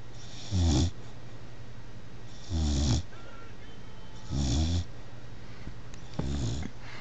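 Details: Bullmastiff puppy, a little over three months old, asleep on a chair, snoring in four deep, rasping, throaty bursts, each lasting under half a second and recurring roughly every two seconds, over a steady low indoor hum.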